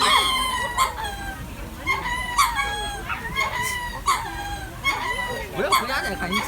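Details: At Jacksonville zoo, a group of lemurs calls in a raucous chorus. Wavering, strongly harmonic wails repeat roughly every second and overlap one another, with crowd chatter underneath.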